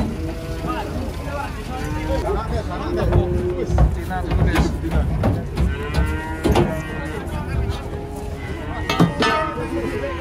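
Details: Cattle being unloaded from a truck, several jumbo cows in the group: low, drawn-out harmonic lowing recurs through the clip, overlapping with people talking and background music.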